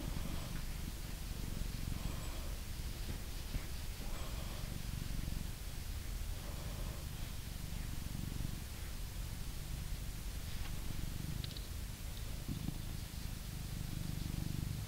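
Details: Male blue British Shorthair cat in England being groomed with a brush, giving a deep steady purr; soft rustling brush strokes and faint handling noises run over the low rumble.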